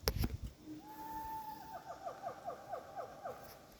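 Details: Siamang calling in the wild at Pakpak Bharat, North Sumatra: one long steady whistled note, then a quick run of short, clear, falling hoots about four per second, with a few sharp clicks at the start.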